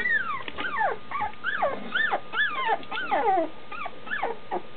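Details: Standard Schnauzer puppies nearly two weeks old, almost walking with eyes opening, crying for their mother just outside the whelping box; overlapping high whining cries rising then falling, several pups calling at once in quick succession.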